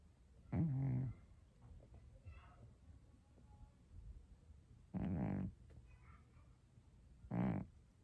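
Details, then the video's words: Scottish Straight cat snoring in a quiet room: three short rattling snores, the first longest, separated by soft breathing and faint background murmur. "고양이 코골이"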